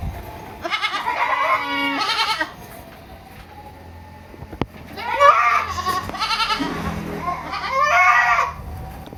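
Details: Young goats at a farm in Purwokerto, Indonesia, bleating in three separate wavering, nasal bursts of one to two seconds each, with quiet pauses between and a sharp knock midway.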